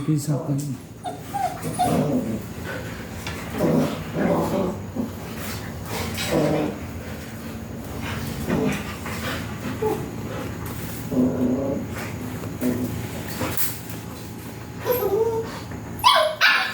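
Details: Two 7-week-old agouti Siberian Husky puppies, late at night in a garage being settled to sleep, give soft whimpers and brief high yips, with a person speaking quietly nearby.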